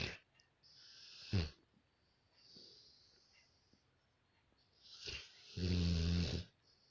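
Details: A Rottweiler snoring at home gives deep snores, with low rattling breaths and soft wheezy exhales between them.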